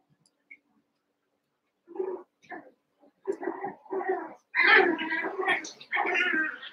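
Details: Eight Cavalier King Charles Spaniel puppies, about seven weeks old, wrestling and playing together in an indoor pen; a few scattered short yelps give way to dense, overlapping harmonic yips and growly whines, louder and continuous over the last two seconds.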